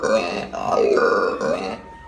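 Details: Guttural, harmonic roar from a howler monkey in Aruba, two linked swells over about two seconds, the second dipping then rising before fading.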